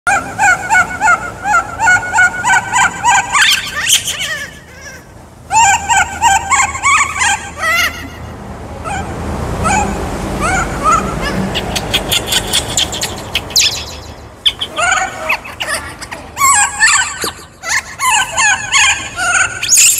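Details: Baby monkey named Kaka, a wild monkey, screaming because he is hungry for fruit: bursts of loud, harmonic, wavering shrieks, rising and falling rapidly in pitch, with a noisy rustling pause midway before the screaming resumes.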